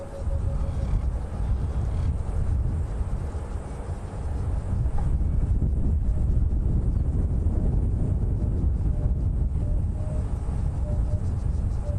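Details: Steady low rumble of a vehicle engine and wind, with no animal calls standing out.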